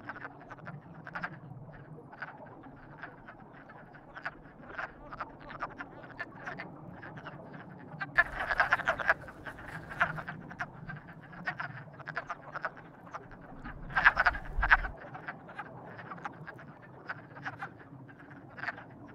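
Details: Frogs in courtship calling steadily, many short croaks overlapping, with two louder bursts of rapid croaking midway and near the end.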